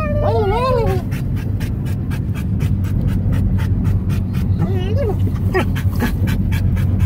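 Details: Dog riding in a car gives a few short, quavering yodel notes that wobble up and down, then pauses and adds a second wavering phrase later, set against a constant low car rumble and human voices.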